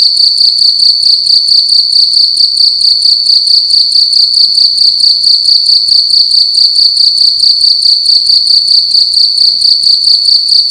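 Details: A cricket chirps loudly in a room at night, sharp high notes pulsing rapidly in an even, continuous trill with a quiet background.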